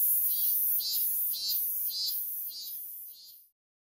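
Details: Cicada calling: pulsing high buzzy bursts repeated about every half second, each a shrill rasping swell, the chorus fading out near the end.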